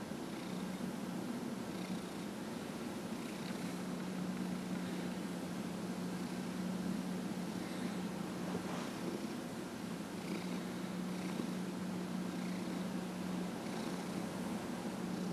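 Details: Steady low purr from Dillard, a 15-and-a-half-year-old pet cat being massaged indoors, droning throughout with faint hissy background noise and light rustling.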